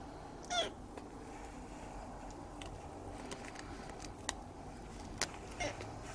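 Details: Siamese cat kitten, recorded in 2017, gives a single brief meow near the start, followed by scattered faint clicks and knocks against a constant background hum.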